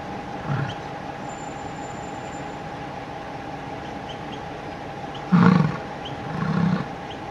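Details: American bison bull grunting at a cow during mating: short low rumbling grunts near 0.5, 5.4 and 6.6 seconds, deep and brief, over steady background hum with faint distant chirps.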